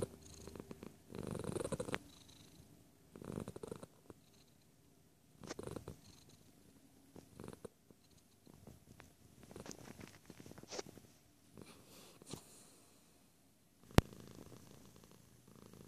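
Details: Cat purring at close range in short rumbling bursts, each about a second long and spaced roughly two seconds apart with quiet gaps between. A single sharp click lands near the end.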